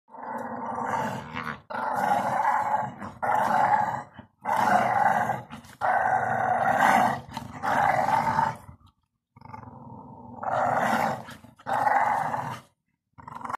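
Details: A young male Staffordshire Bull Terrier growls in long, rumbling bursts with brief pauses between them while playing tug of war.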